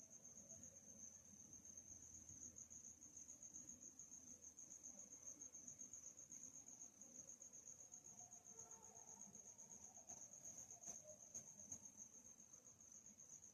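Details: Cricket chirping recorded in a peaceful nighttime setting: an even, high, thin trill held steadily from start to finish, with a few faint clicks late on and a quiet low background murmur.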